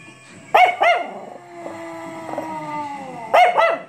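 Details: A Chihuahua gives sharp, high yips, then a thin, wavering howl that slowly falls in pitch, howling on hearing bells.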